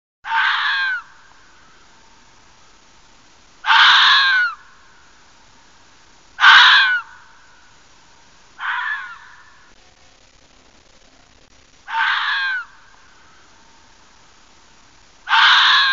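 A fox gives harsh, hoarse screams, each under a second long, repeated every two to three seconds.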